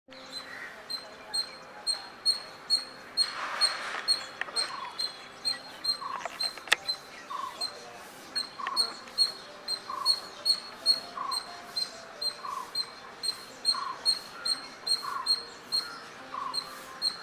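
A squirrel gives short, sharp chirps in a steady series, a little more than two each second.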